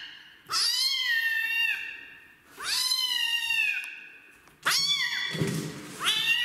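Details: Kitten from the street, rescued and getting its first bath, refusing the shower: three loud, bending meows rising then falling, with a brief low thump or splash between the last two.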